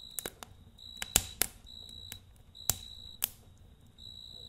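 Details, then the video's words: Cricket at night beside a campfire: steady, high, thin trilled chirps in bursts lasting around a second, mixed with sharp pops and crackles of burning wood. "Kamp Ateşi ve Cırcır Böceği Eşliğinde Dinlendirici Gece Sesi"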